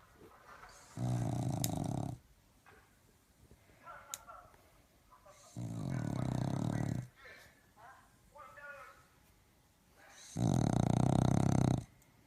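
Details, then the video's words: A pet dog snoring in its sleep: three long, rattling, low snores, each lasting about a second, spaced roughly four to five seconds apart, with soft rustling and faint sounds between them. "Is Snoring"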